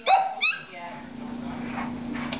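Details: Dog giving two quick, high, sharp barks in the first half second, followed by a steady low hum and faint background noise.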